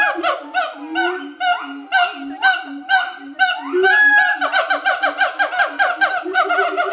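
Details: Mated adult siamangs performing their territorial duet at Schmutzer Primate Center: rhythmic barks and rising whoops, low booming tones underneath, speeding after four seconds into a rapid, dense run of overlapping notes.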